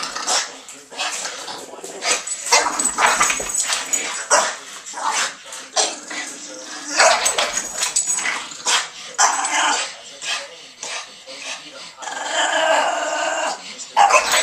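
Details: Two Boston Terriers, one a female on her third birthday, playing a rough and noisy tug game indoors; harsh broadband growls and snarls come in bursts with short barks and breathy gaps, faint voices in the background.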